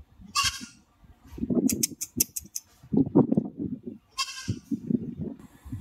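Goats bleating in short, wavering, nasal calls, with several animals overlapping.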